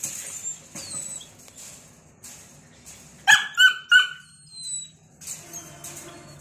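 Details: A red female Belgian Malinois gives three quick, sharp, slightly rough barks in a row, with faint high whimpers and a low background hum around them.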